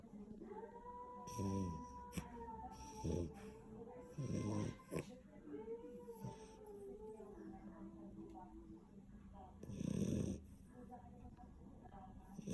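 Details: Labrador puppy asleep and snoring: rough, rasping breath bursts at about 1.5, 3, 4.5 and 10 seconds, with steady tonal sounds running underneath between the snores.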